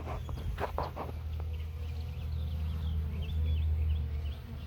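Honey bees fill the air with a steady, low, droning hum from a busy hive.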